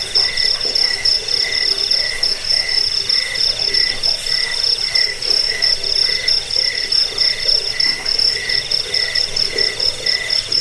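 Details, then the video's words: Jangkrik crickets played as a rat repellent and bedtime sound: a shrill, rapidly pulsed trill running without pause, paired with a softer lower chirp repeating in short regular beats. "Suara jangkik pengusir tikus pengantar tidur"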